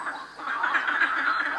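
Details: Many unseen frogs and toads calling together at night near a hotel in Durmitor National Park, a loud, dense, duck-like quacking chorus of overlapping croaks, steady throughout with no clear gaps between calls.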